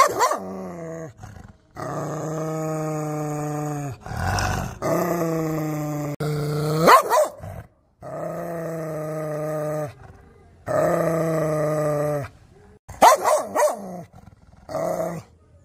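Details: Angry dog alternating long, even, rumbling growls lasting about two seconds each with short, harsh bursts of barking and snapping. Brief silences fall between the outbursts.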